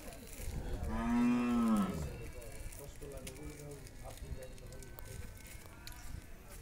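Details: Pregnant Friesian cow, nine months in calf and due for her second calving, at a dairy farm in Bhangura, Pabna, Bangladesh; one loud, drawn-out moo that rises then falls over about a second, followed by faint low background noise.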